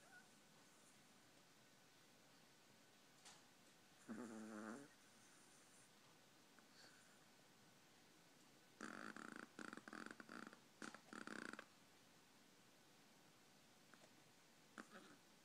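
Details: Sleeping Chihuahua snoring. Mostly quiet, broken by a short rasping, pulsed burst near four seconds, then a longer run of rapid snorting pulses from about nine to eleven and a half seconds, with a few faint clicks.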